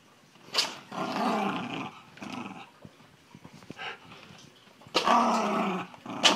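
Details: Excited Miniature Schnauzer at play with a basketball indoors: a sharp yap, then a drawn-out grumbling growl, quieter scuffling, and a second loud growling burst with a snap at the end.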